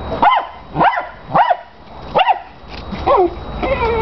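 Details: Ball-fixated dog with a big tennis ball lets out four sharp, piercing barks in quick succession, then softer whining yelps; a chihuahua darts about in the background.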